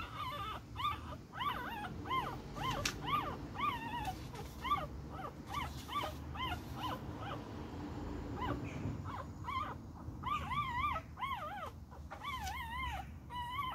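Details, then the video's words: A little Beagle puppy while fighting: long series of high wavering yips and whines, steady for several seconds, a short gap with a sharp click, then drawn-out warbling whines at the close. "My little fighting beagle puppy"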